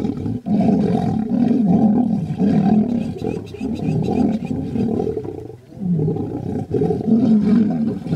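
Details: Two lion brothers fighting, with a continuous, harsh, deep snarling roar that swells and dips in long bursts and barely breaks, then briefly quiets near the sixth second before resuming.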